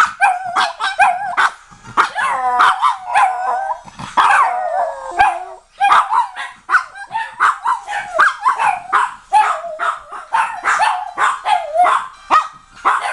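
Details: Several pet dogs, Dave, Leo, Bambam and Tilly, howl along to the EastEnders theme. Dave starts and the others join the chorus. Overlapping wavering howls and sharp yips come in quick bursts, with short pauses between.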